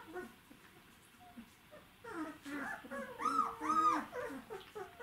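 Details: Twelve-day-old Czechoslovakian Wolfdog pups of Orizon and Rahan, December 2020. Scattered soft squeaks build into two longer, louder, tonal whines with a rising then falling arc, heard indoors at close range.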